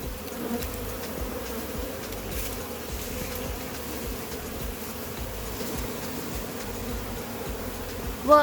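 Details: Large wild honey bee hive being caught from inside a cut-open barrel, the colony giving a steady, dense droning hum throughout, with a brief tonal sound at the very end.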